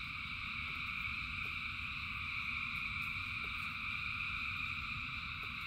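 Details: Frogs calling in rain: a dense, unbroken chorus of thousands of frogs forms steady high layered droning bands, over a rumbling low wash of rain noise with occasional faint clicks.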